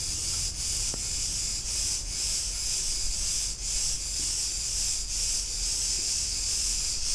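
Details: Chorus of Cretan cicadas in a street of Ierapetra, Crete, Greece, a continuous shrill sizzling drone throbbing about twice a second, with faint low background hum and one brief click.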